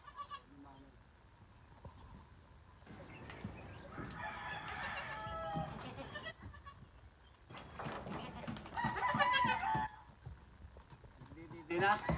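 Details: Goat that has just given birth to twins: several wavering, harmonic bleats in short bursts spread through the recording, overlapping with people talking close by and other farmyard noise.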